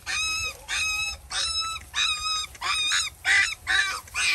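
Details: Village dog mother and puppies, very hungry, at a feeding: loud, drawn-out, strongly harmonic whimpers about half a second long, coming in quick succession with short gaps, the last few rougher and more strained.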